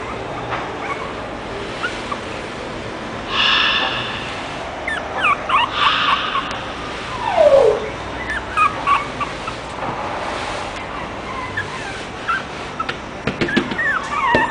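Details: French Bulldog described as angry, giving scattered short yips and a few whining, sliding cries between quiet stretches, with soft background noise throughout.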